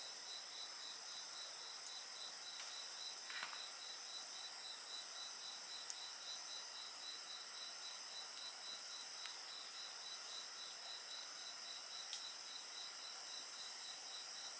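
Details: Steady insect song accompanying a campfire: rapid evenly spaced high pulses form a long trill over dense high hiss, with brief crackles and snaps of the fire scattered throughout.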